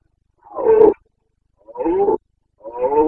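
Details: Boncănit, the rut roaring of a Carpathian stag in the forests of Bucovina, Romania, late September 2022 breeding season: three deep, rasping roars, the later ones longer and steadier, separated by brief silences, with a quiet background.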